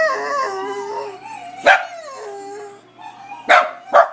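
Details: A dog barks at a dog shown on a computer screen. It starts with a wavering, tonal whine that slides up and down, then gives three abrupt, explosive barks spaced irregularly a second or two apart.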